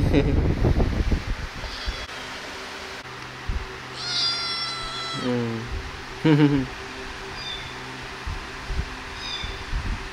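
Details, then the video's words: Kittens playing and being fed: a high, thin, drawn-out meow, then two shorter dropping cries, with rustling and handling noise around them. "Cute Kittens - Playing And Feeding"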